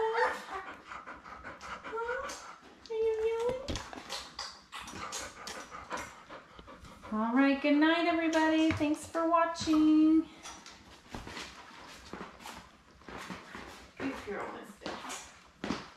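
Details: Labrador Retriever puppies, seven born May 24, 2021, with mother Belle on a puppy cam: scattered soft whimpers, then a sustained run of loud, harmonic squealing whines for about three seconds before quieter rustling and snuffling returns.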